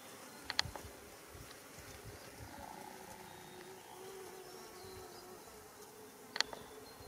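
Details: Japanese honeybee workers forage on white Schizophragma blossoms by a mountain road in Japan, early July 2016; a soft, wavering hum rises and falls in pitch, with two sharp clicks near the start and end.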